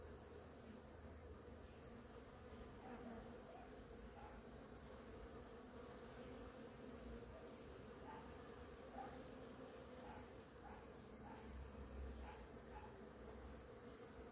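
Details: Numerous bees visiting blooming ora-pro-nobis one morning make a continuous low buzzing drone with soft overtones, rising and easing slightly as they move, over a steady high-pitched insect whine in the background.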